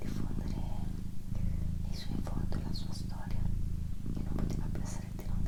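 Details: Pet female cat purring indoors for relaxation, a steady low rumbling purr running throughout with soft whispered speech layered over it.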